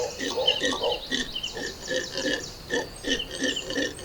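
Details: Howler monkeys in the Amazon rainforest roar at dawn in rough, guttural bursts in rapid, uneven succession; a family call marking territory that carries about 5 km.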